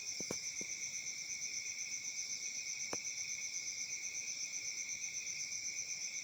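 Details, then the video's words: In Africa on a summer night, crickets keep up a high, even chirping chorus that pulses four times a second, with a couple of soft clicks at the start. "Crickets Chirping sounds at Summer Night"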